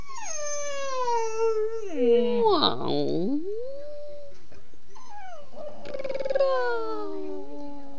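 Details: Bella the dog 'talks' back to her owner, who urges her on: a sustained, wavering howl-like whine that dips, rises and falls, broken by a brief rough yelp, followed by another drawn-out descending moan.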